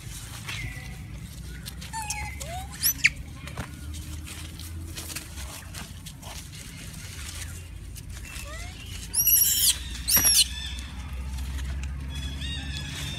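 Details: Many monkeys crying loudly while hungry for food: scattered short tonal squeals and rising whistled cries, with a louder burst of high, sharp cries near the ninth and tenth seconds over a steady low background hum.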